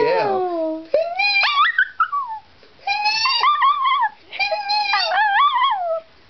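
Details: Indoors, the dog Penny answers high-pitched squeals with short howls: a low falling note first, then bright, wavering, upward-curving cries in three or four phrases with brief pauses.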